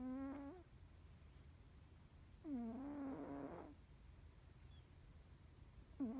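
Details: Norwegian Forest Cat snoring in deep sleep, dreaming with twitching face: harmonic snoring breaths about every two to three seconds, one ending in a rougher, noisier rasp, above a low indoor hum.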